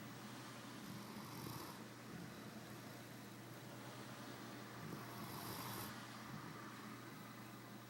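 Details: Sleeping dog snoring loudly enough to wake someone; two breathy, hissing snores rise and fade about four seconds apart over a steady low electrical hum.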